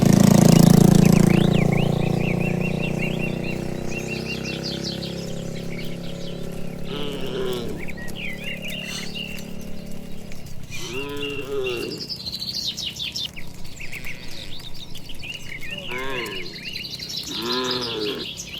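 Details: Dozens of cattle walking home along a tree-lined village road toward their shed in the evening; a few drawn-out, rising-then-falling moos sound near the middle and end, after a loud low rumble at the start, with birds chirping throughout.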